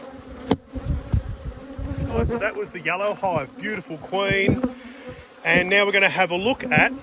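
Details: Honey bees buzzing close up during a hive inspection on 19/3/22: a steady low hum with bright harmonic bursts as bees fly past, rising and falling in pitch, with sharp clicks of handling in between.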